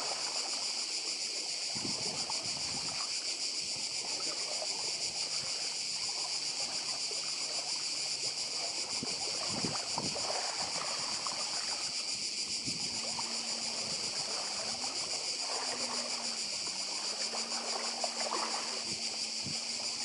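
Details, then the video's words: Continuous cicada chorus on Badija island in Croatia, 2024, beside the sea: an unbroken shrill, buzzing wall of sound with rapid pulsation. Gentle surf and water noise underneath, plus a low droning engine-like hum, likely a passing boat, in the second half. "Cykady i szum morza w Chorwacji"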